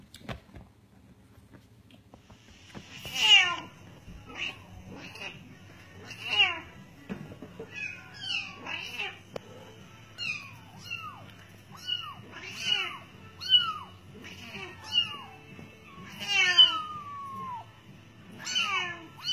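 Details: Bengal cat with kittens: a steady series of thin, high mews, each sliding sharply downward, repeated every second or so with uneven spacing, in a quiet indoor room.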